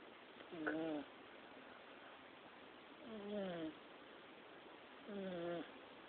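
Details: A sleeping fat kitten snores in three squeaky, harmonic breaths, each about half a second long and dipping in pitch, spaced around two seconds apart against a soft hiss.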